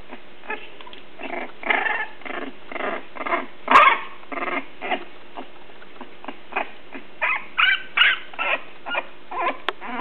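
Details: Three-week-old English Bulldog puppies from one litter at play: short growling and yipping bursts come in irregular quick succession over ten seconds, with a sharper squeal near the four-second mark, in a quiet room.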